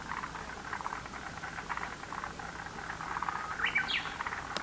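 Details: Frog chorus from a lotus pond, dense rattling pulses running continuously, with a brief bird chirp near the end.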